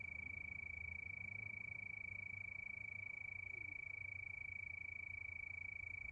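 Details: Crickets under a night moon keep up a steady, high, pure-toned trill of rapid even pulses with no pause, over a faint low rumble.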